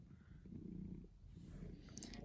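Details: Gray cat purring while sunbathing indoors, a steady low rumbling drone with fine rapid pulsing that continues throughout, with faint background sounds near the end.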